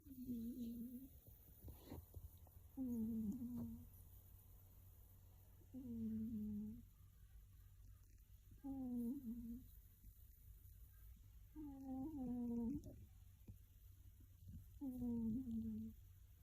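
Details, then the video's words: Sleeping pet cat, likely dreaming, snoring indoors: about six short nasal rasping sounds, each lasting under a second and spaced roughly every three seconds, over a steady low hum. "Cat snores loudly and it becomes more and more aggressive"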